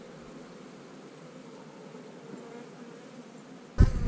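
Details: A low, even hum of honey bees around a hive being opened to look at drone cells, holding steady for several seconds before a sudden loud thump of handling noise at the end.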